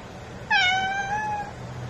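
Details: Calico cat giving a single clear meow about one second long, starting with a bright onset and then holding a steady, slightly falling tone with rich harmonics before trailing off, against a quiet background.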